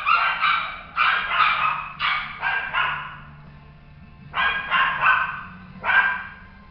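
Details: Male Toy Poodle giving clusters of high, bright barks, about four in quick succession, then a pause and three more spaced barks against a faint low hum.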